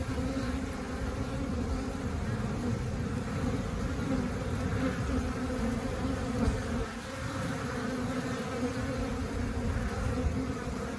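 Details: Western honey bees (Apis mellifera) foraging for nectar around flowers outside the hive give a steady, low, even hum of many beating wings, the calm buzz of a busy colony.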